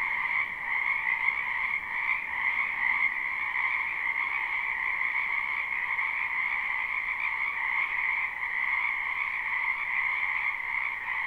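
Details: Many wild frogs croaking in a spring wetland behind a house, captured live without looping: a dense, unbroken chorus of overlapping high trills holding steady in two bright bands, with no other animals or human sounds.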